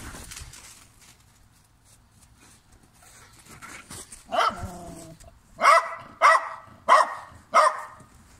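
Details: German Shepherd dog barking: one loud bark near the middle, then a run of four sharp, evenly spaced barks roughly every 0.6 seconds, over a quiet, low background murmur.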